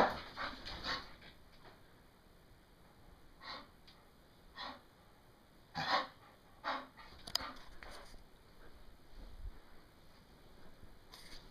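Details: English bull terrier playing rowdily on a bed after a shower, heard as scattered breathy pants and snorts separated by quiet gaps, with some rustling.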